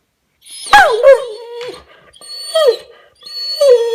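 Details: A male Weimaraner whines in three drawn-out, falling cries, demanding attention when ignored on the sofa.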